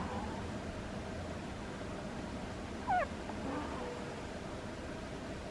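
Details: Butters, a pet cat, asleep and giving a single brief squeaky snore, a quick falling whistle-like squeak near the middle, followed by a faint tonal murmur, against low steady room noise.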